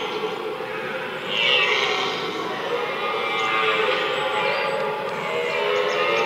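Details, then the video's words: Red deer stag roaring amid the rut, a powerful, drawn-out throaty bellow with rich harmonics that swells after a brief quieter start and holds steady, faint background hiss throughout. "Mitten im Brunftkessel - Ein gewaltiges Röhren - in the middle of the rutcauldron Red Deer"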